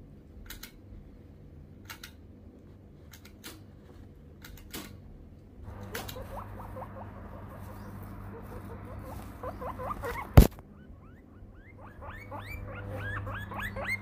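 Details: Guinea pig stretching. Low rumbling at first, then after several seconds a series of short rising squeaks, growing in a quick run of upward-sweeping chirps near the end, with a sharp knock in the middle.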